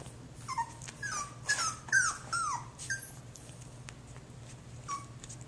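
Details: Young Jack Russell Terrier Eden whimpering in short, high, downward-sliding whines packed close together mid-clip, then fading to one or two soft squeaks, with a constant low background hum.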